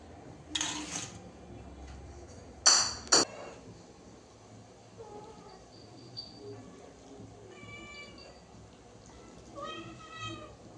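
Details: Indoors, a cat gives two short, clear meows late on, after loud bursts of a woman's Bengali speech and faint music in the background.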